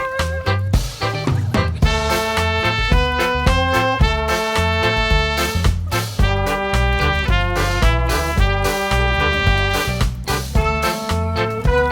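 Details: Lively swing music with brass and a steady beat plays throughout, with no animal sound heard.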